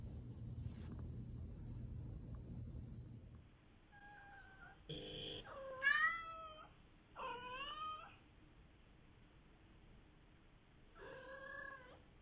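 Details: Female domestic cat mrrping and trilling: after a few seconds of low rumbling background, soft paired tones lead into a run of bright harmonic chirps that bend up and down, with one more rolling trill near the end.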